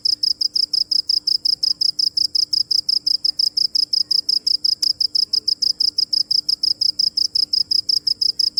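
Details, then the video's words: Continuous chirping from a cricket, sharp high trilled pulses at a steady pace of roughly three per second, with one brief click midway and a faint low hum behind. "Cricket chirping | Crickets sound original | Video Crickets Chirping | សំលេងចង្រិតយំ | សត្វចង្រិតយំ"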